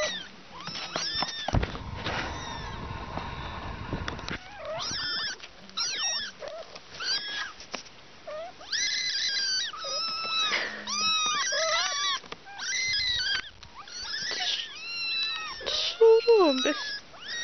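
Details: Little kittens mewing in quick, overlapping bursts, many high, arched cries repeated several times a second, with a short stretch of rustling noise near the start.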